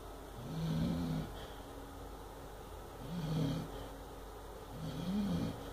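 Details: An 8-month-old Chow Chow puppy snoring in his sleep during a bad dream: three low, rasping snores, each roughly half a second long and spaced about two seconds apart, in a quiet indoor setting.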